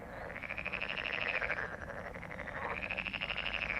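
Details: Frogs croaking in a dense chorus, rapid pulsed rattling calls overlapping continuously, bright and raspy, swelling and fading in long waves.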